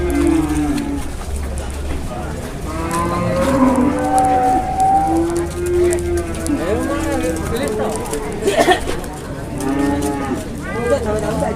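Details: Cattle mooing repeatedly in long, steady, low, droning calls, some with a bending pitch, over a constant low hum and background chatter from people.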